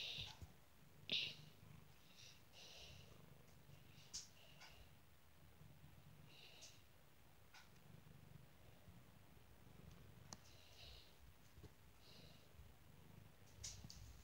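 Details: Cat purring steadily in a low, pulsing drone under a faint background hiss, with a few soft scratchy or rustling noises.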